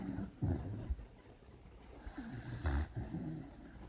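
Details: A sleeping puppy, dreaming, gives soft, low snoring snorts in irregular bursts, with a stronger grunt near the middle and a quiet breathy hiss between them.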